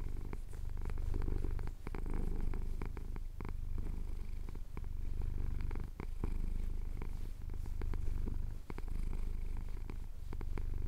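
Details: Contented purr of a male cat enjoying a chin scratch at sunrise in the Cotswolds, taped with a Tascam DR-07X; a heavy, unbroken low buzz that pauses briefly about every two seconds between breaths, with light scratching clicks.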